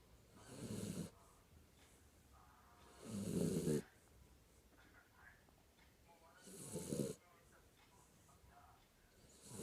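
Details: Kinako, a sleeping Jack Russell Terrier, snoring: three loud, rasping snores come about every three seconds, each lasting under a second, with soft breathing and faint room noise between them.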